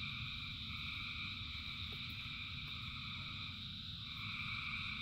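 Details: Frog chorus in rain, thousands of callers blending into a dense, even hum of overlapping trills with rapid pulsing, set against the low hiss and rumble of rain.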